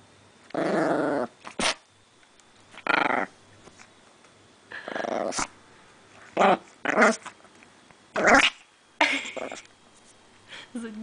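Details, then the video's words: Chili, a pet female chihuahua guarding her precious bone, growls in repeated rough bursts of about half a second to a second, separated by short pauses and sharper snarling snaps indoors. "Chili the chihuahua protects her bone"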